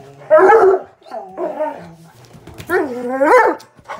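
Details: Bluetick Coonhound pup playing with a Black and Tan Coonhound, giving loud yelping barks and rising whiny howls in a few bursts over four seconds.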